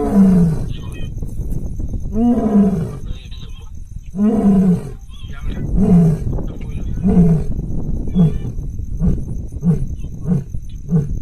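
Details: Asiatic lion in Gir National Park, Sasan Gir, heard on a safari: long, deep, moaning roars about every second, then shorter grunts that come quicker, over a steady low rumble.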